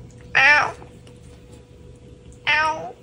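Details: A domestic cat, apparently a ginger being picked on by the other household cats, gives two drawn-out, harmonic meows about two seconds apart.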